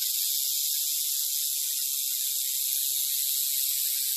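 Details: Steady, hissing high buzz from a western diamondback rattlesnake's rattle, sustained evenly across the whole few seconds with no pauses.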